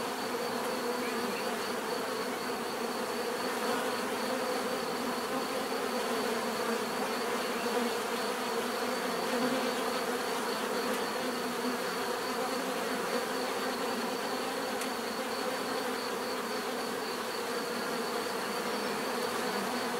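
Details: Twenty seconds of constant bee buzzing, a dense, steady hum from many insects with faint rises as single bees fly close, natural relaxing sound.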